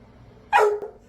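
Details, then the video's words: Rescued male dog, once used for dog fighting and silent for years from fear, barking again at a shelter when urged on; a single loud, sharp bark falling in pitch, followed by a faint echo and praise from a man. "This Dog Finally Found His Voice Again"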